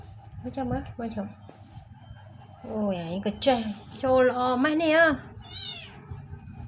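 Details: Distressed black kitten, rescued, crying in a quick run of meows, two short ones then longer bending cries that rise and dip, over steady Khmer conversation.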